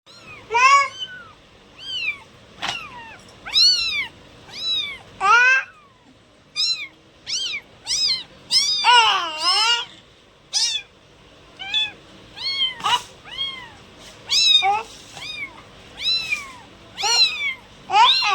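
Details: Cats meowing, a dense run of short high arched meows, often overlapping, coming in quick bursts roughly every half second to second for the whole stretch, some rising and falling in a wavering slide.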